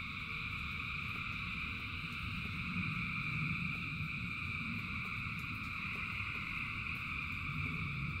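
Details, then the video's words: A vast frog chorus during rain, thousands singing at once as a seamless shimmering drone of high bands, briefly swelling midway, with deep rumbling rainfall underneath throughout. "Frogs in Rain 2 Hours of Frogs, Thousands of Frogs Singing"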